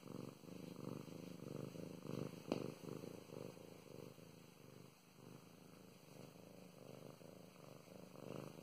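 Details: Being petted, the domestic cat Mow Mows gives a low rumbling purr in rhythmic breath-by-breath pulses, with one sharp brief tap early on, then a quieter stretch before the purr swells again.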